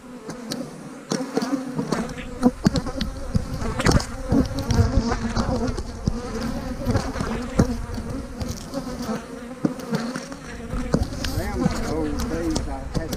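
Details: Honey bees buzzing during hive splitting in March 2020 with queen cells in the splits, a dense low hum around 200–250 with rising and falling tones as bees fly close, plus intermittent knocks and handling clicks.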